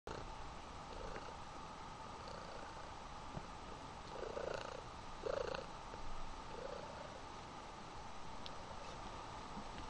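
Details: Mother cat hugging her kitten, purring softly and steadily in a low rumble, with a few slightly louder swells, under a constant hiss of background noise.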